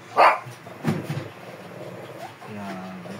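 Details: A sharp, loud bark bursts out from a fierce Shih Tzu during grooming, then a softer second yelp follows, while a person's voice carries on underneath.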